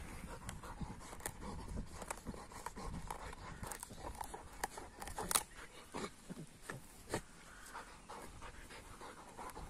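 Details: An AmStaff and a Kuvasz playing roughly together indoors, with steady panting broken by scuffling thumps and sharp bumps as the two dogs wrestle; a louder knock comes midway.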